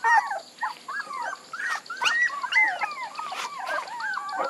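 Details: Wobbling, drawn-out whines from puppies slide up and down in pitch and overlap one another, with a few soft clicks and rustles underneath.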